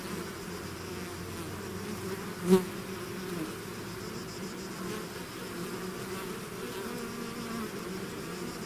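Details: Swarm of bees out of its hive, a softer steady drone of many wings, with one sharp close pass of a single bee buzzing loudly just past two seconds.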